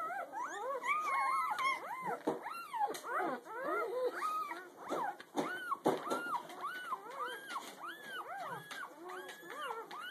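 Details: A litter of newborn puppies less than a day old, recorded the morning after birth, squeaks and whines, with many overlapping high arched cries in rapid succession.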